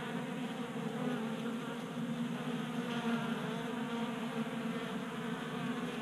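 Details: Many honey bees feasting at a 3D printed bee feeder on a workbench in a Colorado garage, warm January day: steady, dense buzzing drone, even in loudness throughout with a rich stack of humming tones.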